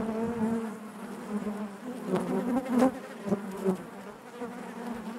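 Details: Hive buzz of honey bees: a thick, even drone with rich overtones, rising briefly in intensity around the middle amid a few soft ticking sounds.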